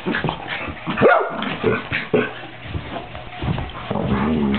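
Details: Luce and Folly, two puppies aged 13 weeks, playing: quick yips and a high whimpering squeal, then a thin drawn-out whine at the close, with a low background hum throughout.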